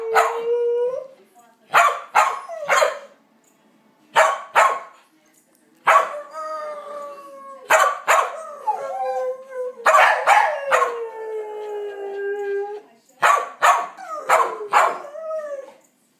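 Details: Andy, a Blue Heeler dog, howls in long drawn, slightly falling tones with rich harmonics, broken by sharp yipping barks; about eight howl phrases with short silent gaps between them.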